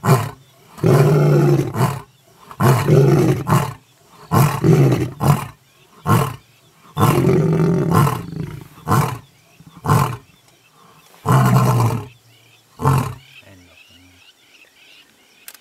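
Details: Mapogo lions roaring in the bushveld, with an elephant feeding nearby; a long roaring bout of deep, powerful roars that shorten into a run of brief grunts, fading out, with a faint rustle at the end.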